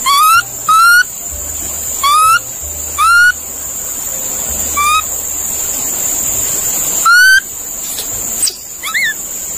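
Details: Monkey call sequence: a quick pair of rising whistled notes, then further single upswept notes at uneven intervals, fading toward the end, over a persistent high-pitched drone.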